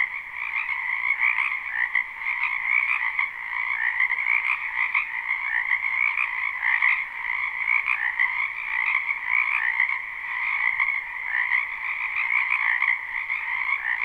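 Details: Many frogs croaking through a spring night in a wetland behind a house, live and unlooped: a dense, continuous trilling chorus in two bright bands, pulsing slightly, with no other sounds standing out.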